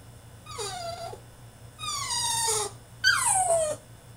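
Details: Three drawn-out, piercing whines from a French Bulldog throwing a tantrum inside his cage, each sliding from high to lower pitch, the last the loudest, separated by short gaps over a faint hum.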